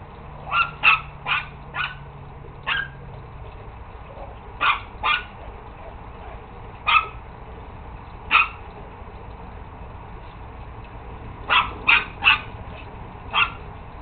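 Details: Chihuahua yapping in short, high, clipped barks, scattered in little clusters of two to four with gaps between, against a constant faint hum and a brief low drone at the start.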